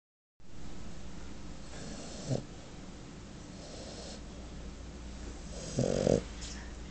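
A French Bulldog snores, giving two rough, rattling snorts over a steady low hum.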